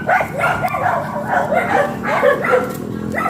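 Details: Labrador Retriever during a stud session beside a road in Dagupan City, Pangasinan: rapid, high, arching yelps and whiny barks, several per second and continuous, with a steady low hum underneath.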